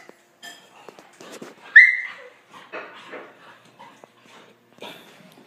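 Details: Puppy Kiara and big dog Kenzo at play indoors, as they often do; short whines, a loud high whimpering yelp near the middle, then grumbling growl-like bursts and soft yips between quiet gaps.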